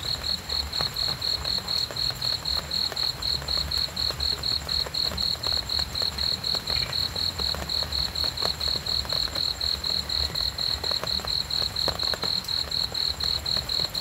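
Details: Continuous cricket chirping for calm sleep, crisp high pulses at a regular pace of about two per second, over quiet low background noise and occasional soft clicks.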